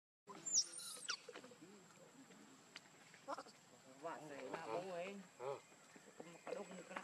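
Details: Baby macaque Leo, hungry and crying to beg its mother for milk; wavering, harmonic whimpers rise and fall in short bursts, with a sharp high squeak near the start and a steady high-pitched background tone.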